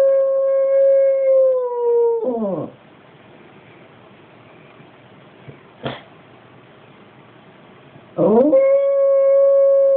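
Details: Staffordshire Bull Terrier crossed with American Pit Bull Terrier howling like a werewolf, unedited: a long steady tonal howl with harmonics that slides down and breaks off, a quiet pause with one sharp click, then the howl starts again.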